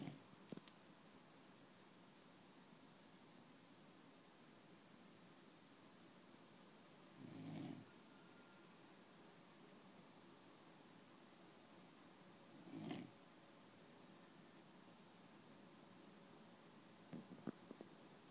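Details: Frengle dog snoring indoors: two soft, low rasping snores about five seconds apart over a quiet room hiss, with faint clicks near the start and end.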